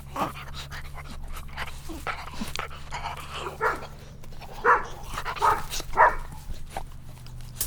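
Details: Several dogs at play on grass; a few barks stand out near the end, loosely spaced under a steady rumbling background noise.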